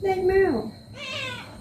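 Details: Pet cat meowing while being given a body massage: a drawn-out meow that holds level and then slides downward, followed after a short pause by a second, softer and higher meow.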